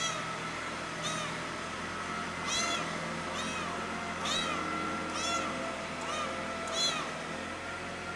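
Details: Loud meows from Pretty, a cat missing its mother, come about once a second in an irregular series, set against a constant noisy background with a low steady hum.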